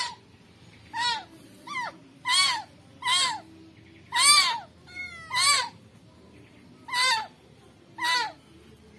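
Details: Rescued kitten crying steadily, bright wavering meows about one per second, some doubled, with a faint squeaky note between them.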